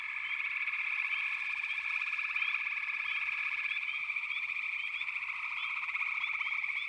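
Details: Chorus of frogs in backwater, an even, vibrating trill running nonstop, overlaid by many small quick chirps that rise sharply and repeat irregularly.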